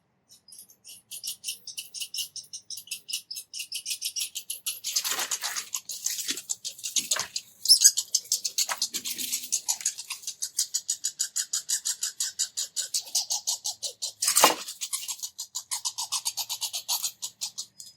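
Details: Two red squirrels arguing and chasing each other around a bird feeder, giving loud, rapid, high-pitched squeaks in long churring runs, with a few sharp louder squeals.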